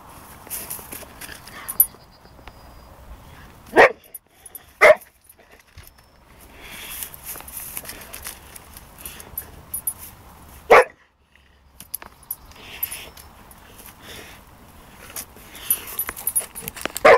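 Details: Pepper the Boxer with his first hedgehog gives a few isolated sharp barks spaced several seconds apart, with rustling and faint background noise in between.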